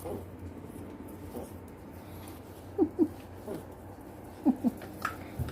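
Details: Pinscher dog giving two pairs of short, tonal whimpering yips, each pair a quick double note, about a second and a half apart, over a quiet indoor room hum with a few soft taps.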